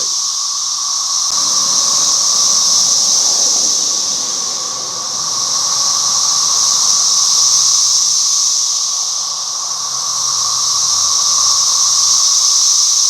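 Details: A dense chorus of cicadas, possibly a periodical brood (thought to be 17-year), makes a steady, loud, shrill buzz that swells and fades slowly. They fly everywhere and feed on a red maple in a house yard in Halifax, Virginia, in 2024.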